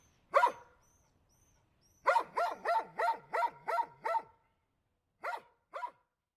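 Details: Dog giving a single bark, then a run of six evenly spaced barks followed by two more after a pause; clear, sharp and harmonic with quiet gaps.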